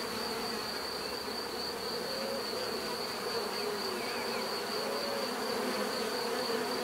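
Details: Steady drone of many bees, a thick humming texture with overlapping wingbeat tones and no pauses, plus a faint high whine holding level over the hum.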